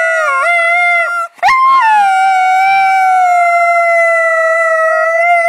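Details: Husky howling along with her owner's encouraging sounds, 25 November 2010: a steady, drawn-out harmonic howl with one brief break and a quick upward slide, then holding an even pitch to the end.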